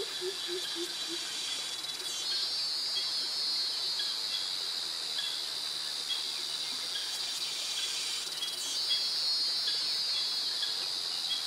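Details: Loud, continuous high-pitched buzzing from cicadas in jungle vegetation in Krabi, Thailand, swelling in waves, with a few brief low notes at the start and crickets behind.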